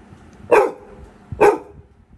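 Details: Indoors, a Labrador Retriever puppy gives two sharp, nervous barks about a second apart, barking at no one in the house; the owner jokingly suggests he is scared of a ghost.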